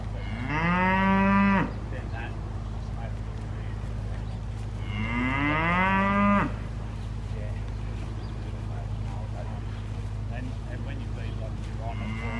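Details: Poll Hereford stud heifers, six offered as one sale lot; two long, loud moos rising in pitch, each about a second and a half, about five seconds apart, over a steady low mechanical hum.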